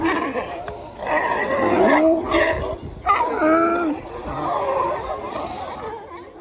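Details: California sea lions lounging on the shore at Monterey, California, USA: hoarse, harmonic barks and groaning calls from several animals, overlapping and rising and falling in pitch.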